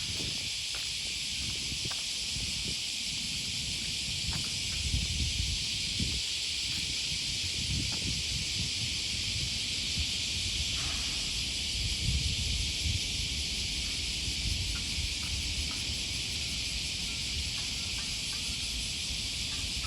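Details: On a riverside morning walk near Sakuranomiya Park, Osaka, in August 2020, cicadas keep up an even, shimmering high buzz throughout, over soft footsteps and distant city noise.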